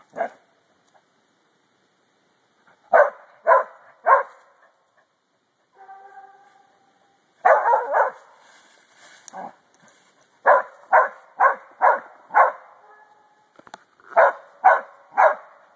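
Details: Dog June barking at deer in repeated series of sharp, mid-pitched barks, often three to five in quick succession, with a brief whine-like tonal sound between bursts and short silent pauses.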